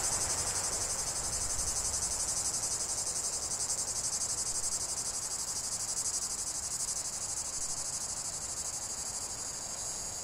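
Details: Steady cicada song for relaxation in nature: an unbroken high-pitched buzz with rapid even pulses, slowly easing in loudness over ten seconds.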